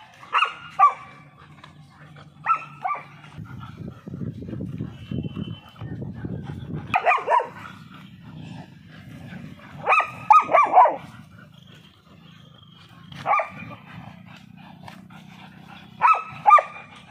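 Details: German Shepherd, Labrador and Rottweiler puppies fighting: bursts of sharp, high yipping barks recur roughly every three seconds, with a low rumbling growl filling the gaps, loudest midway through.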